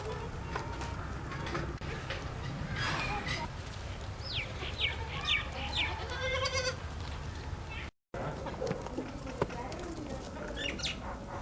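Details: White baby goats drinking milk; a run of harmonic bleats between four and seven seconds, with short chirpy notes and more bleats near the end, over steady low background rumble and voices.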